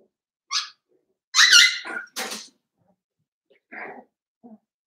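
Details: Blenheim Cavalier King Charles Spaniel puppies, 7 weeks old, in an indoor puppy pen at Red Barn Cavaliers, one of a litter of five. Sparse high squeaky yips and a longer bright yelp, separated by silent gaps in a small room.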